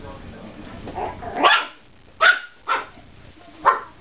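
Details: Chihuahua puppies giving four short, sharp yapping barks, one at about one and a half seconds, then a quick pair, then a last one after a pause, over faint background murmur and room noise.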